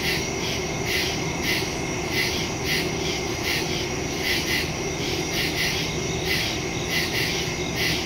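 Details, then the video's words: Night chorus of crickets in woodland, recorded on September 2, 2023, with a phone and stereo microphone; overlapping high, rhythmic pulsed chirps swell and fade about twice each second above a constant low background drone. "Crickets in the woods at night"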